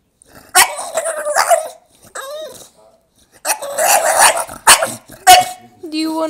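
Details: Male English Bulldog crying for attention: loud, wavering whiny cries with rich harmonics, some rising then falling in drawn-out moans, separated by short pauses.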